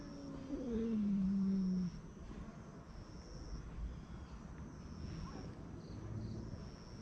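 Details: Stray cat muttering over its food so it won't be stolen: a short low moan that wavers, then settles into a flat, descending growl for about a second, followed by quiet outdoor ambience.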